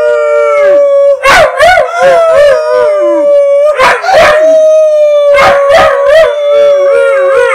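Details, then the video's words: East European Shepherd howling as backing vocals while singing along with its owner indoors: a long sustained tone that wavers slightly and holds almost unbroken, overlapped by rhythmic human sung syllables. "мій собака співає зі мною, на бек вокалі"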